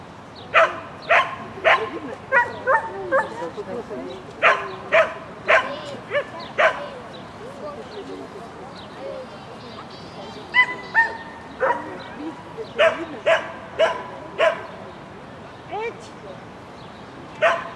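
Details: Shetland Sheepdog barking repeatedly while running an agility course in spring 2016, recorded 22 May 2016: sharp, bright barks in irregular clusters, roughly two per second at times, with quieter gaps and faint background chatter.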